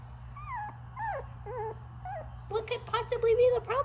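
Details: A 3-week-old Pomsky puppy, very talkative, makes a string of short whiny yips and squeaky rising-falling whimpers, then a quicker run of higher yelps near the end, with a steady low hum underneath.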